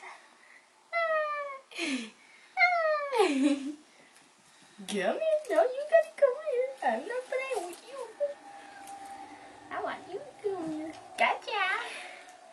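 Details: Four young Bengal kittens, just past the toddling stage, playing together indoors: two clear, high, falling mews early on, followed by a stretch of human voices talking over softer squeaks.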